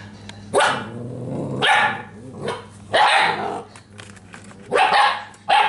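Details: Belgian Malinois puppies in Natick, Massachusetts: four loud, harsh barks spaced roughly a second apart, each a broad noisy burst, with a low steady hum beneath and quieter growly sounds between.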